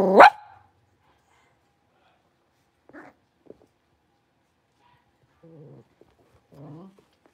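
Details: Blenheim Cavalier King Charles Spaniel puppy in a big pen with its four littermates; one loud sharp bark opens, followed after a quiet pause by faint short whimpers and small squeaks.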